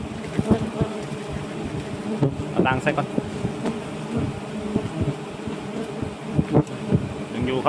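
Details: Giant honey bees buzz around their nest as it is cut down at dusk. A dense, low drone runs throughout, broken by clattering knocks, with a human voice heard briefly partway through.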